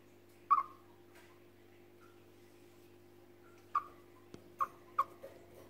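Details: A frightened chipmunk gives short, sharp chirps that drop quickly in pitch. One comes near the start, then a cluster of three or four a few seconds later, over a steady low electrical hum.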